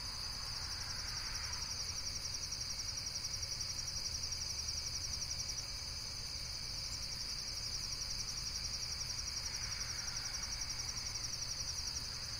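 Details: Insects in a nature setting: a steady, high, shimmering trill pulsing rapidly and without pause throughout, with a fainter second high band above it, over a low constant rumble and a soft hiss that swells briefly near the start and again near the end.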